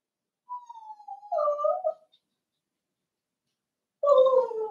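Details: Young blenheim Cavalier King Charles Spaniel puppy from a litter of five in a home puppy pen, around seven weeks old, giving a thin falling whine that swells into a louder wavering cry, a pause, then another strong sliding whimper.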